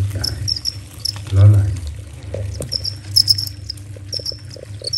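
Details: Crickets chirp at about 11:30 at night in a countryside garden, in short, high, trilling bursts that repeat steadily.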